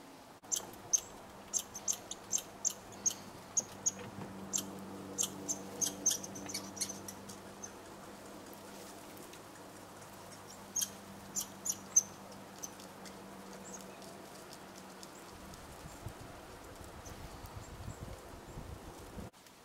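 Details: Red squirrels interacting at a bird hide in Eastern Canada: irregular bursts of high, clicking chirps, some in rapid clusters, over a low steady hum that stops near the end.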